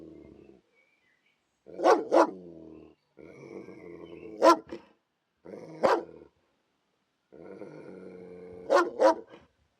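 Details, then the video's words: Warning growl of a protective dog: long low rumbling growls, each broken by one or two sharp barks, in four bursts separated by short pauses. "Real Dog Growling Sound Effects! Fierce Dog Growls & Scary Dog Sounds"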